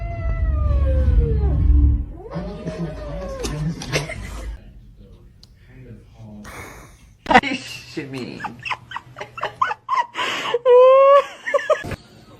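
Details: Domestic cat meowing indoors: a long, drawn-out arching meow opens, followed by wavering calls, then a burst of short, sharp rising meows near the end, with human voices talking over parts and low room rumble.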